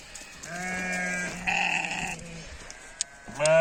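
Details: Sheep in a mountain village in Nepal, a long steady bleat followed by a brief harsher wavering one and a loud bleat at the end, with background hiss.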